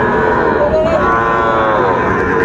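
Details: Low bellowing moo from Sahiwal bull calves at Raniganj cattle market, Dinajpur, 2 May 2024, swelling and falling slightly in pitch, with men talking and a noisy market crowd throughout.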